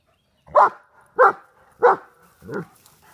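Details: Large German Shepherd of Czechoslovakian lines facing a groundhog gives four loud, evenly spaced barks about two-thirds of a second apart, the final one softer.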